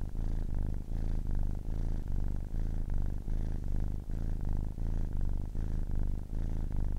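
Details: Ten-week-old kitten purring: a continuous low rumbling purr in steady breaths, each swell lasting under a second with brief dips between inhalation and exhalation, heavy low-pitched buzz throughout, no other sounds.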